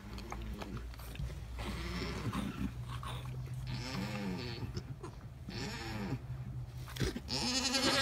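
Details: Alpine goat giving birth to triplets, several overlapping quavering bleats of varied pitch amid rustling and a steady low hum.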